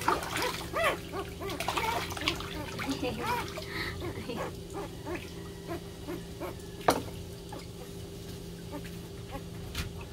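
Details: Several puppies crying loudly, competing for attention: short arched whines tumbling over one another in the first four seconds, then sparser yelps, over a steady low hum and background noise.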